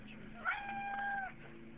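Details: A cat giving one drawn-out meow lasting under a second, a steady, level tone rich in harmonics that starts abruptly and fades, heard against a quiet background.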